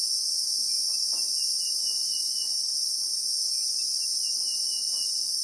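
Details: Shrill, constant droning of Christmas beetles (Anoplognathus) among acacias in the South African bushveld, real-time sound, with faint thin whistled trills and soft low taps in the background.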